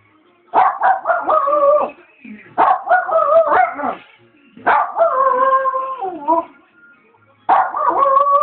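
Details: Yorkshire terrier howling along to a television advert's jingle: bursts of wavering, harmonic howls with sliding pitch, each lasting one to two seconds and separated by short pauses, over faint background music.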